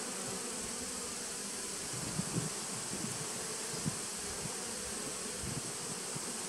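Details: Honey bees of a 2017 nucleus colony, recorded 19 September 2018: a continuous low hive hum with brief louder buzzing flickers scattered through the middle, possibly single bees passing close, over a steady high hiss.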